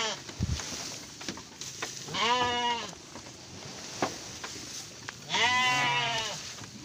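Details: Garut sheep during the birth of triplets to a ewe, two nasal, quavering bleats a few seconds apart over a steady background hiss, with faint clicks and handling noises.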